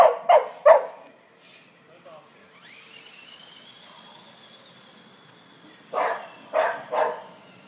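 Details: Bertie, a Wheaten Terrier, barks excitedly while playing and chasing a remote-controlled car: two sharp barks at the start, then a high whirring car motor, then three more loud barks in quick succession near the end.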